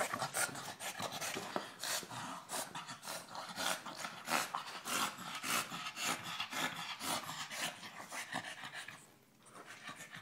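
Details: Dog panting hard while attacking a giant tennis ball, trying to puncture it but unable to get its teeth in; rapid broadband breathy pants, roughly two per second, with scuffling and bumping sounds throughout.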